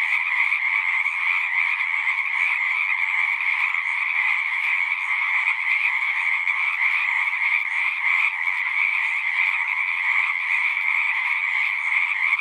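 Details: Pond frogs in a horse pasture chorusing nonstop, recorded with a Zoom device; thick layered croaking trills, a higher bright band over a lower one, holding a steady level with no gaps.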